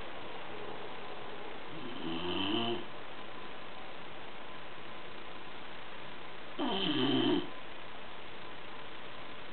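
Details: Bulldog Gordo fast asleep, producing two loud, throaty snores about four and a half seconds apart, each a rattling, harmonic rumble lasting under a second, with steady low room noise between.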